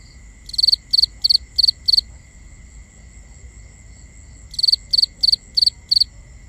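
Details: Crickets calling at night, binaural ambience: two bursts of five and six loud, even, high-pitched pulsed chirps separated by a pause of a few seconds, with constant faint high tones and low murmur beneath.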